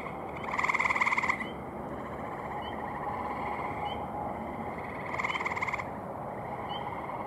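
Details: At an evening pond on May 15, 2018, a male gray tree frog gives two loud, buzzy pulsed trills about four seconds apart. Softer calling males and a constant background chorus carry on underneath.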